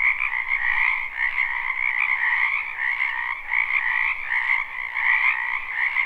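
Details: Chorusing frogs of a spring wetland, recorded live without any looping: dense, overlapping croaks form a constant trilling drone that rises and falls gently in loudness throughout.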